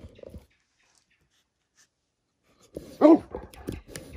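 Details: Household scene of Great Pyrenees dogs, where female RunRun asserts herself as boss by mounting male Alain: after near silence, one loud arched whining yelp, then shorter yelps and a person's voice nearby.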